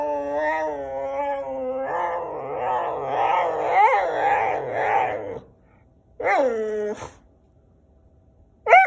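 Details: Dexter the whippet complains at the camera while Wallace joins in. A steady whine swells into dense overlapping howls, then silence broken by a short, sharp falling yelp and a last rising squeal.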